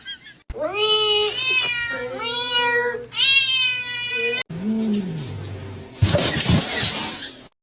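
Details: Domestic cat in a funny cat compilation, giving long drawn-out harmonic meows from about 0.5 to 4.4 seconds, two separate wailing calls, followed by a low swooping sound and rustling noise.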